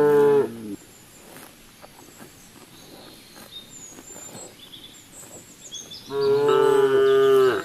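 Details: Cows eating grass in the fields give a deep, harmonic moo lasting under a second, then a longer, steady moo after a quiet stretch, with faint high chirping in the background.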